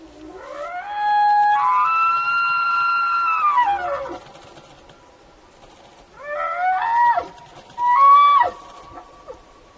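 An elk gives a long, high whistling call that rises, holds steady, then drops, followed by two shorter calls.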